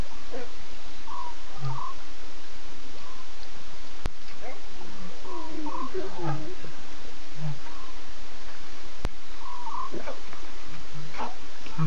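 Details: Six lion cubs with three adult Nkuhuma females at 2:50 a.m. on September 8, cubs talking and adults contact calling while looking around; short tonal mews repeat at intervals with a few deeper low grunts over steady hiss.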